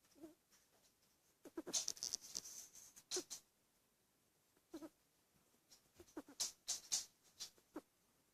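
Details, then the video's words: Dachshund puppy snoring: soft, breathy snuffles with squeaky, hissing edges, coming in short bursts roughly every one and a half to two seconds in a quiet setting. "Dachshund Puppy snores"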